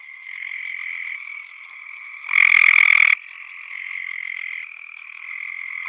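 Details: Mating gray treefrogs: a gray treefrog gives a loud, musical pulsed trill over a steady background chorus of other calling frogs.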